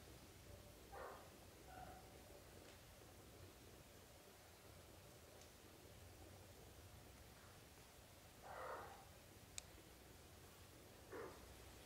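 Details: Young British Shorthair kittens, a litter of four with their parents, growing up from birth to thirty days. Brief, faint mewing calls come in scattered pairs, with a sharp click and low room hum throughout.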